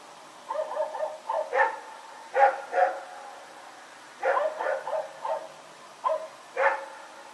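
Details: Night barking from Rex the dog, recorded 21 September 2018 while running around: clusters of sharp, mid-pitched barks, a few in a row, then a gap, repeated several times.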